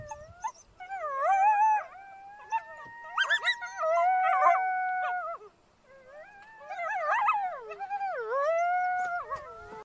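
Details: Coyote alone in the snow howling: drawn-out, gently wavering tones interrupted by quick yips, a near-silent pause midway, then another long howl with dipping, quavering pitch.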